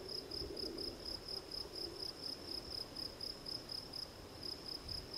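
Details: Gryllus campestris field cricket producing a clean, regular train of high, shrill chirps, about two per second, against quiet background hiss.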